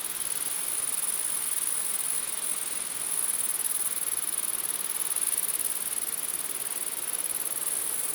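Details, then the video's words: Unbroken, very high-pitched grasshopper hum, steady in loudness throughout, heard above constant background hiss, with no distinct individual pulses. "Grasshopper Buzz, Night Grasshopper Humming Sound"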